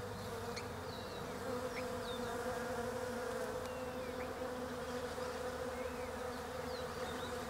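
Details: Down under in autumn, European honey bees forage among Desert Ash (Fraxinus oxycarpa) flowers. A steady, resonant buzzing drone is overlaid by repeated thin, high bird chirps throughout.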